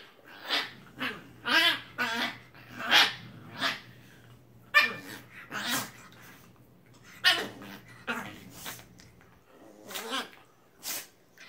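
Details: Shiba Inu dogs play fighting indoors, giving a series of harsh growls and short yelping barks, bursts roughly every second with brief pauses between, a low steady hum underneath.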